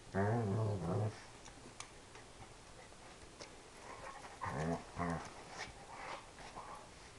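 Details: Dobermann growling while playing, making almost moo-like sounds: a deep harmonic rumble in the first second, then quieter bursts around four to five seconds, with a person speaking softly indoors.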